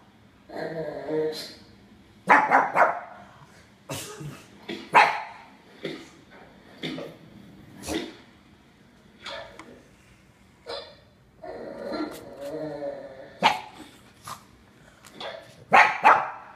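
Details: A pug puppy gives sharp, irregular barks and yips in quick bursts at dogs barking on a TV screen, apparently believing they are nearby.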